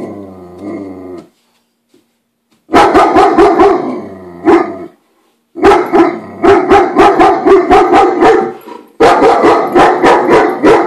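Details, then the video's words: A German Shepherd of about 13–14 months barks in rapid, deep, harsh bursts at a girl dropping off the newspaper, guarding his turf and also growling faintly, after a brief spoken voice; recorded June 28. "Dog barking"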